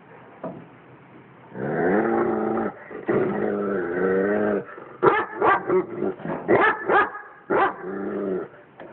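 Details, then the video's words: A friendly dog barking at a cat it knows: a long low whining growl from about 1.5 to 4.5 seconds, then a run of sharp, rapid barks from 5 to 8 seconds, ending in another drawn-out whine. "dog barking at cat"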